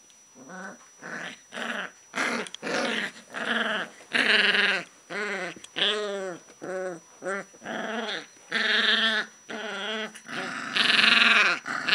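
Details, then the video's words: Alaskan Malamute puppies of the Inuit Legend litter, sired by Seeker and out of Royal Beauty Illa Kuvianartok (Rita): a steady run of harmonic whines and growly yelps, each rising then falling, some drawn-out louder cries, roughly several per second. "Alaskan Malamute puppies - Inuit Legend Litter"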